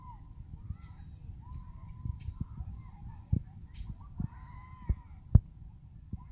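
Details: Abandoned Chihuahua crying after being reunited with its owner: thin, drawn-out whines arching around one steady pitch, several in a row over a few seconds, with sharp knocks and a low rumbling background.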